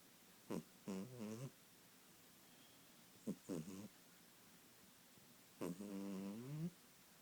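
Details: Kitten snoring in its sleep, three groups of rough, falling snorts, each opening with a sharp catch of breath, against a quiet indoor background.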